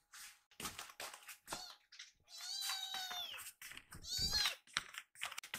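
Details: Rescued baby kitten indoors, begging for a second course of food after rapidly finishing its milk; several drawn-out, high meows with falling tails, interspersed with clicks and handling noises.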